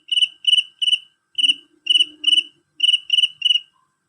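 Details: Male cricket singing loud and shrill: short bright chirps in clusters of two or three, nine in all over four seconds, each with a ringing high overtone, and a faint low hum in the middle.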